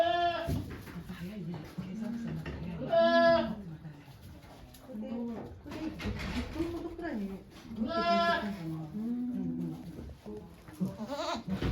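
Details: Domestic goat on a goat farm, recorded on 3 May 2023 while giving birth to two kids with volunteers looking on; two drawn-out, harmonic bleats about five seconds apart, with people talking quietly throughout.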